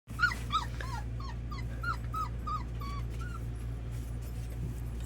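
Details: Red Labrador Retriever puppies at their first feeding, offered milk in a bowl: a series of short high whimpering yips, each a brief rising-falling note, about ten in three seconds, over a steady low hum.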